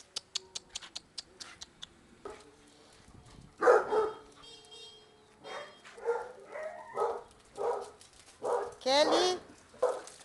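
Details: Playful Basset Hounds at a Brazilian kennel: sharp clicks open, followed by rough barks and higher yelping whines, some with a sliding, wavering pitch, mixed with faint background music.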